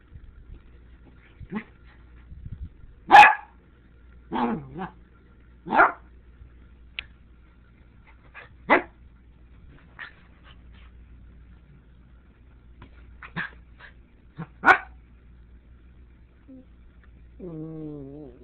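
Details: Tobi the dog confronting a Sriracha bottle: scattered loud single barks and yips spaced a second or more apart, ending with a drawn-out, wavering whine as the barking fades.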